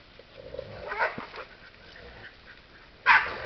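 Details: During a wild boar hunt, a hound gives a few sharp, broadband barks, with the loudest bark near the end.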